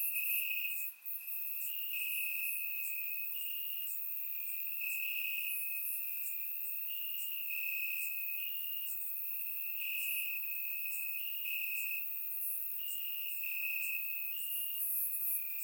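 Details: Crickets calling from grass at night in Bulgaria during warm summer weather: a sustained high-pitched trill in slightly uneven pulses, with a background of many fainter chirping insects and one brief dip in loudness early on.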